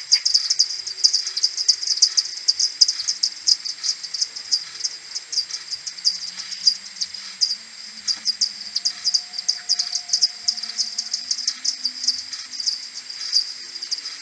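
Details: Common pipistrelles of a maternity colony returning to roost in the morning, 21 May, slowed tenfold from an AudioMoth 1.1: a continuous, busy stream of sharp high pulses from many bats, with faint low hums.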